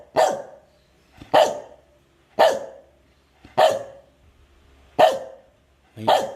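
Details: Medium dog barking on cue during a training session, six loud, clipped barks spaced roughly a second apart, each dropping quickly in pitch; otherwise quiet.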